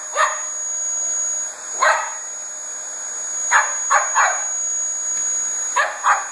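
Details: Koko, a two-year-old Border Terrier, takes on a Dyson vacuum cleaner indoors. Sharp yappy barks come singly and in quick pairs and triples over a steady motor hum and whine.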